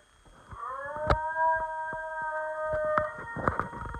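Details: Basenji dog howling for its owner indoors: a sustained harmonic wail rising from about 0.5 s and holding steady for roughly 2.5 seconds, with clicks and small knocks around it.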